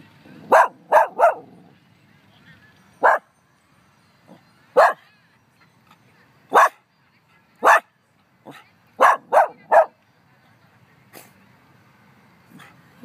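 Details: With no one around in Humbolt Park, a pet dog barks at nothing: bursts of two or three quick barks alternating with single ones, around fifteen in all, some softer yips, over faint background noise.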